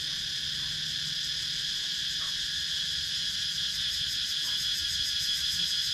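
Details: Cicadas calling in the rural woods of Sakon Nakhon, Thailand, GoPro Hero 9 recording: a loud, even, high electric hum with a fast shimmering pulse that grows slightly stronger toward the end, almost no low background sound.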